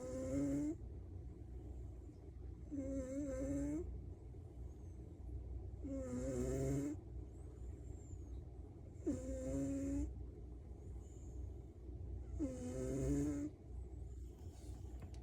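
A Maine Coon cat snores loudly, each rasping breath recurring roughly every three seconds.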